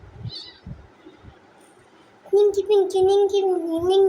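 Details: Two house cats at play at home: after quiet shuffling, a long, loud, drawn-out meow with a wavering tone holds for nearly two seconds, with faint voices nearby.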